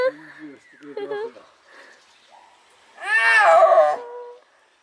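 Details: Captive snow leopard at Tama Zoo calling close in front of the visitor: a loud, harmonic, wavering moaning call lasting over a second, preceded by softer voiced sounds and human laughter.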